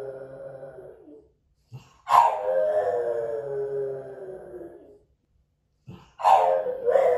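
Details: French Bulldog Moto-Moto left alone at home, recorded by hidden camera, howling. Long drawn-out tonal howls slowly fall in pitch. One lasts nearly three seconds, another begins with a sharp onset near the end, and short pauses separate them.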